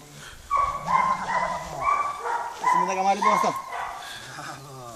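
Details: Belgian Malinois puppy, four months old, letting out a string of clear, high, slightly wavering yelps in quick succession, about two or three per second, alongside low human speech.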